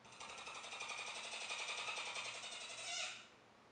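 A capybara makes a fast, buzzy train of clicking pulses, dry and mechanical in tone. The rattle holds steady for about three seconds, swells briefly at the end, then stops.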